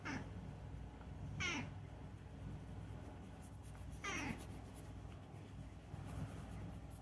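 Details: Indoors, the chatty rescued cat Unagi utters three brief, falling chirp-like meows over a low background rumble, with soft rustling noises in between.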